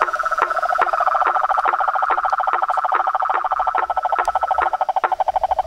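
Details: Frogs, toads and treefrogs calling together at dusk at a house pond, a pulsing chorus of rapid rattling notes with sharp clicks repeated roughly every half second.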